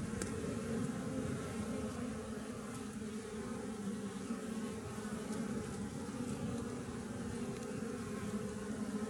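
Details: Wild colony of western honey bees (Apis mellifera) living in a tree, found while honey tree hunting; dense continuous droning buzz with a steady low hum and overlapping wingbeats, no breaks.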